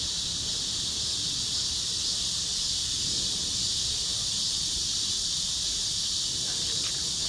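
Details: Chorus of cicadas, a dense, unbroken high-pitched buzzing hiss that holds steady throughout with no clear pauses; no other sounds stand out.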